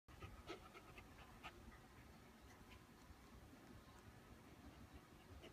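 A corgi pants softly in quick, rhythmic breaths, a few brief higher squeaks mixed in.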